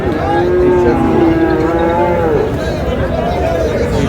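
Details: Friesian and crossbred bull calves at Raniganj cattle market in Dinajpur, Bangladesh, 6 August; a long, drawn-out moo with a steady tone that bends slightly, over loud crowd chatter and bargaining voices.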